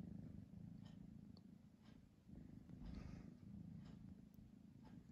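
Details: Pamuk the house cat purrs in a deep, unbroken rumble while hovering between sleep and play; the purr rises and falls with breathing, with occasional soft rustles.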